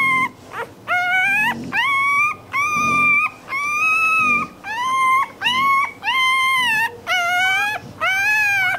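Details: Puppy crying and whining, a sound said to draw other dogs' attention; a series of about ten drawn-out, high, slightly arching whimpers, each under a second, repeated steadily with short gaps.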